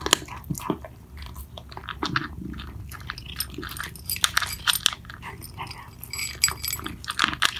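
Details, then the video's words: Mittens and Mongo, two house cats, chewing their food noisily, with crisp irregular crunches and wet bite clicks in quick bursts, recorded close up in a small indoor space. "Cats eating ASMR"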